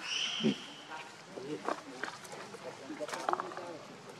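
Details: Lucie, a baby monkey, very hungry for milk: a high, thin, whistled cry that slides downward over nearly a second, followed by softer scattered chattering and murmuring sounds in an outdoor rural setting.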